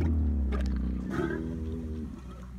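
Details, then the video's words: Camel giving a deep, gurgling bellow with strong layered harmonics, loud at first and slowly fading over about two and a half seconds, with a short noisy burst midway. "Camel sound"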